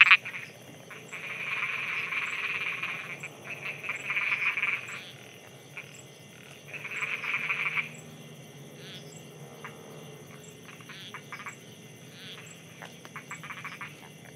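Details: Night frog chorus from Thailand, croaking in two long rasping bursts of about three seconds each, separated by quieter spells of scattered pulses, while a thin high ticking repeats steadily behind.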